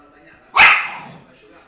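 A French Bulldog gives one sharp, raspy bark that fades quickly.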